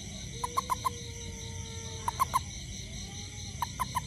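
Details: Toad foraging for ants after rain beside a home, calling in short clusters of three or four sharp notes roughly every one and a half seconds, a sustained high insect hum underneath.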